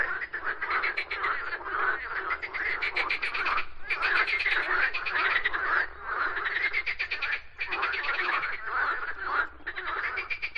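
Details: Frogs singing together, a continuous mass of harsh, rapidly pulsed croaks that surge in waves and briefly thin out a few times.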